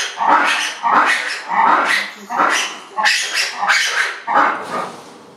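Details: Baby ring-tailed lemur, 112 days old, at Nihondaira Zoo, Japan, on 9 June 2016; a run of about eight harsh, nasal calls, each roughly half a second long, repeated about every 0.7 seconds.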